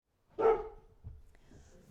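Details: A domestic dog gives one short, sharp bark in a quiet indoor setting. Soft room noise follows.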